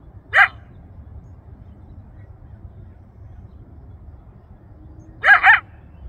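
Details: Wild coyote yelping for its family and friends in the Rancho Sierra Vista open space, Newbury Park, Ventura County, heard from about a mile away; two short, sharp, harmonic yelps about five seconds apart over a faint low rumble.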